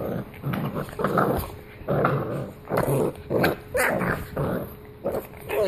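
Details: Pit Bull growling in harsh, raspy bursts, about ten of them over six seconds, each a short noisy rumble rising and falling in loudness with brief gaps between.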